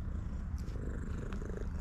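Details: Female tuxedo pet cat known for always purring loudly, giving a continuous low throbbing purr with an even rhythm, no meows, and faint clicks and rustles above it.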